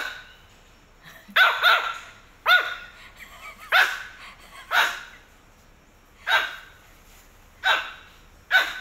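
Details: Pomeranian puppy giving a series of sharp, high, yappy barks, single or in quick pairs, about one a second with short pauses, in a quiet room.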